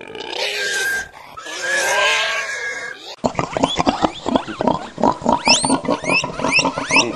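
A pig gives harsh, noisy squeals, then a fast run of short grunts and squeaks.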